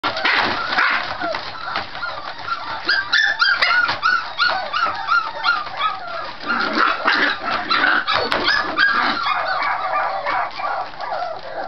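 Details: Scottish Terrier puppies playing loudly, typical vocal play that can sound like fighting; dense overlapping yips, growls and squeaky barks in rapid irregular bursts throughout, with a few higher whining tones in the middle.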